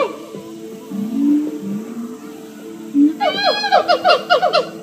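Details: Siamang gibbons singing at a zoo: low swooping booms give way to a fast burst of loud, ringing whoops.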